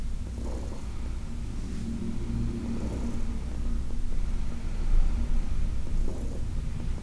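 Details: Heidi, a 14-year-old senior female cat adopted from the Humane Society of New York City, purrs during a massage on August 4, 2021: a steady low rumble, swelling slightly midway, with faint rubbing noises from hands on fur.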